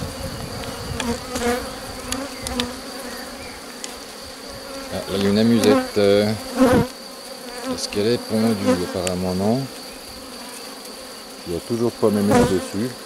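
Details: Honey bees during a beekeeper's rescue of a drone-laying colony on 3 May 2021. Over a faint steady hum, bees fly past in short bursts of loud buzzing whose pitch rises and falls, clustered in the middle and at the end.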